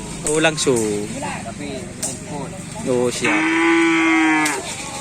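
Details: Cattle from Sapudi island, Indonesia, kept for karapan sapi bull racing: men talk and laugh, then a single sustained, even-pitched moo rings out for about a second before the talk resumes.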